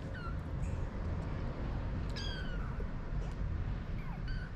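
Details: Four-week-old kittens with their mother cat, a ginger male kitten playing while his littermates eat, the family spending more time outside their cardboard box. Thin, high, falling mews come in three brief bursts over a steady low rumbling background.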